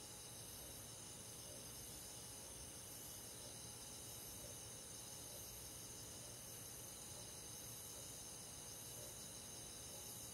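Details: Crickets and other grass insects on a quiet summer night in the countryside forest, a dense, steady, high-pitched chorus of overlapping trills with faint rhythmic pulsing, continuous and unbroken throughout, with no other clear sounds.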